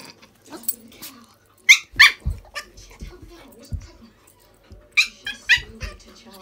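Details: Tiny Chihuahua at play with a larger Border Collie, dated 9.1.21, giving shrill, bloodcurdling shrieks in short bursts, loud pairs near the start and again toward the end, with lower growling, scuffling and thuds of rough play between them.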